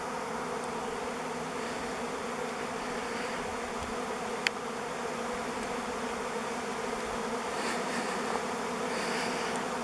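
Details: Thousands of swarming honey bees above a driveway on 05-11-21 make a constant, thick buzz with steady humming tones, broken once by a brief sharp click near the middle.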